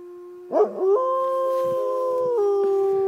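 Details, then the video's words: Captive gray wolves at Como Zoo in St. Paul howling: after a brief rough onset, a smooth sustained tone holds steady, then steps down slightly in pitch and continues level to the end. "Wolves howling at Como Zoo in St. Paul"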